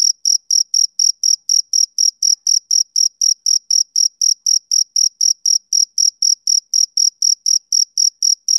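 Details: Rhythmic chirping of a male cricket on a summer evening, with piercing, high chirps at a steady four-per-second pace and a faint upper overtone; only the insect is heard.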